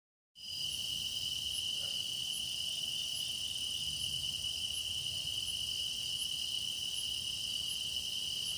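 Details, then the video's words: Grass insects singing for a meditation recording as the season deepens: a steady, bright, unbroken high trill dominates, layered with fainter shimmering high chirps pulsing roughly every second, over a quiet low rumble. "깊어가는 풀벌레 노랫소리"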